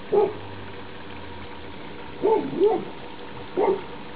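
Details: Labrador Retriever puppies from a 2011 litter, all together outdoors on their last day before leaving, 28 October 2011; short high yips in two bursts, one near the start and a cluster of three past the midpoint, over a steady low hum.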